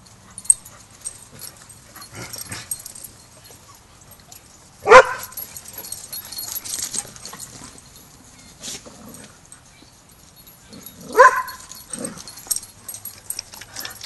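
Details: Border Collie barking at Border Collie Boot Camp as Rammstein, a young pup clueless about pack etiquette, has his first lesson with the pack; two sharp, loud barks about six seconds apart over quieter yips and background rustling.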